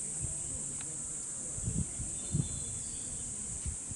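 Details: Cicadas singing in summer at Hokokuji, the Kamakura temple known for its bamboo forest, in a repeated loop. An unbroken high-pitched buzzing drone runs throughout, over soft low knocks and rustles.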